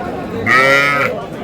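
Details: Young bull or heifer calf at a Madaripur cattle market in Bangladesh, 18 April: a short, high, steady moo lasting about half a second, set against a busy murmur of traders haggling over prices.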